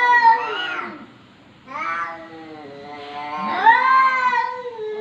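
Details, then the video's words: A domestic cat meowing indoors in a talkative manner: a long drawn meow, a short pause, then two more wavering, rising-and-falling meows, clear and loud with harmonics. "KUCING BERCAKAP"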